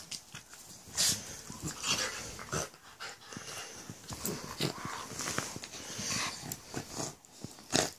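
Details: Two dogs, a Jack Russell and a husky/staffy crossbreed, playing together: rough breathy growls, snorts and wheezy huffs in irregular bursts, with sharp hissing peaks near one second and again near the end.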